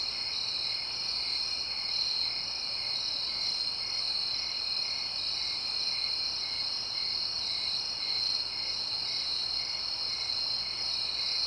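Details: Nighttime cricket chorus in a suburban setting, with quiet distant traffic. Many overlapping high trills form a constant shimmering drone, the brightest tones pulsing softly every second or two.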